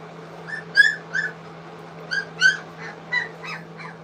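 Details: English Cocker Spaniel puppies, three weeks old, squeal while eating food for the first time. Short, high, harmonic squeaks come in small clusters every second or so, above a constant low hum.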